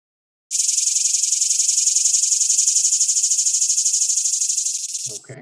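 A swamp cicada sings a loud, steady, high buzz with a fine, fast pulsing throughout.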